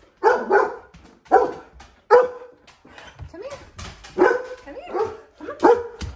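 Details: Chocolate Labrador Retriever indoors, springing up from a window seat and barking with excitement as his owner pulls into the driveway. About six sharp bark bursts come at irregular intervals, with whiny yelps between them.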